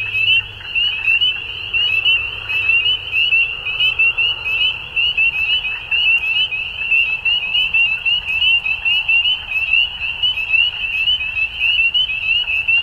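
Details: Frogs at dusk during spring in Ontario, Canada, calling together in a loud, sustained chorus of high, piercing peeps that rise and fall gently in intensity.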